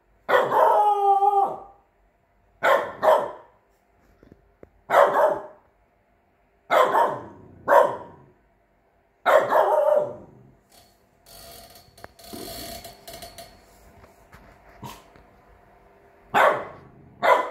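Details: A 3-month-old Chow Chow x French Bulldog playing guard dog gives loud, hoarse barks in a steady series, each about two seconds apart.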